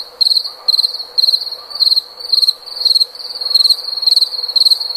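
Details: Cricket producing rapid pulsed chirps, each a quick stuttering burst of high-pitched notes, repeated roughly twice a second against a faint hiss.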